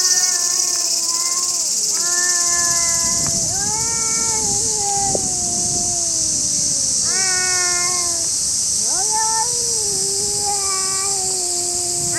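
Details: Angry stray cats fighting in a park in Japan: long drawn-out yowling wails, rising and falling and overlapping, repeated without pause over steady loud hiss-like background noise.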